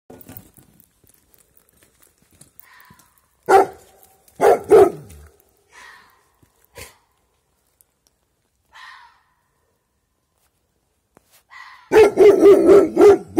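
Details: A dog barking in the dark at night at an unseen creature that answers: sharp loud barks in short bursts, scattered faint distant calls replying between them, then a rapid volley of barks at the end.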